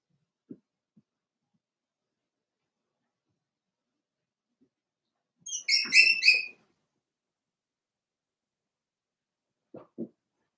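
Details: Daisy's four-week-old Cavalier King Charles Spaniel puppies in an indoor pen. One loud, high, ringing yelp lasts about a second, broken into several quick pulses. Faint soft thumps come before and after it in an otherwise quiet room.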